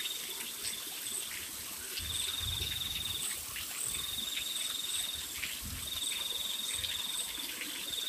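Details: Crickets at night in the rain: high, pulsed trills lasting one to two seconds, repeated with short pauses, with fainter, higher chirps above, all over a steady hiss of rainfall and dripping water.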